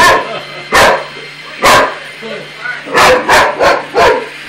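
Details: Boxer dog barking in challenge at a robot; sharp broadband barks at irregular spacing, a cluster of four quick barks near the end, over a steady low mechanical hum.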